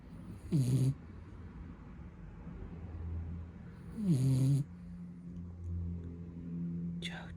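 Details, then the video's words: A blue Beagle puppy napping indoors and snoring: two short, low, snorting breaths about three and a half seconds apart, each dropping slightly in pitch, over a steady low hum, with a brief sound at the very end. "Blue Beagle Puppy Snoring"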